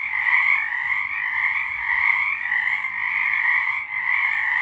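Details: Frogs in full song, March 2023, producing a seamless, buzzing trill chorus in a high band over a lower one, steady throughout with only a slight dip near the end.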